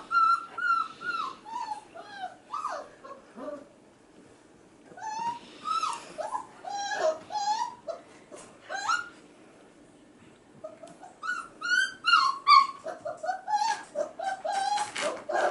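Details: Male F1b Goldendoodle puppies, five and a half weeks old, crying in the background while female littermates play with children indoors; high, thin whining cries that slide and waver, coming in bursts of rapid yelps with short pauses between.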